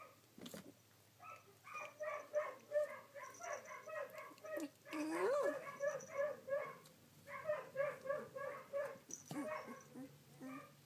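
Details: Collie puppies, 16 days old, filmed on 3 June 2013: several overlapping high, whiny squeals repeated in quick bursts, with one longer rising squeal in the middle and short pauses between runs.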